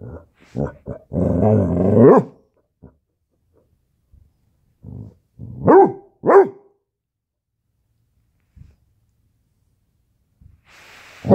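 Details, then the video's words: Basset hound puppy standoff: a burst of growling followed by several separate sharp barks with long pauses between, background music and a Spanish-speaking voice. "basset hound puppy standoff"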